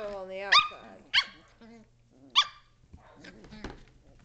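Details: Shetland Sheepdog puppies, 7.5 weeks old, playing indoors in a great room in 2010: three sharp, high-pitched yaps spaced about a second apart, following a woman's voice speaking at the start.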